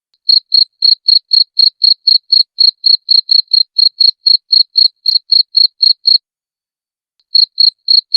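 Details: Cricket chirps intended as a clean song source for pet birds: a long regular series of thin, high clicking pulses about four per second, a brief break near the end, then a few more.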